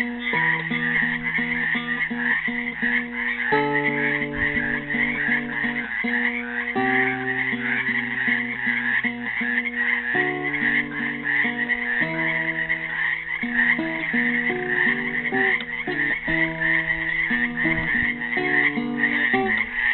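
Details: Many frogs trapped in a Helix, Oregon pool, recorded on Earth Day 2016, call nonstop in a buzzy, pulsing trill chorus, accompanied throughout by an improvised classical guitar piece of plucked bass notes and picked chords.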